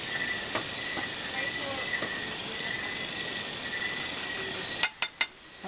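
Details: At night, crickets chirp in a steady, high-pitched shimmer of pulsing trills, ending with a few sharp clicks.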